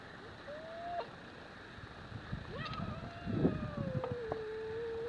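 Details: Scottish fold kitten squaring off against a Singapura cat in a fight, giving a short tonal cry then a long sustained wavering yowl that slowly sinks in pitch, with soft thumps and rustling beneath.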